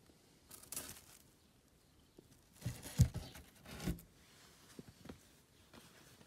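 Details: Little rabbits eating dried sorrel, loudly munching: bursts of dry tearing and crunching near the start and again in a denser cluster midway, with soft crinkles between, indoors in a small quiet room.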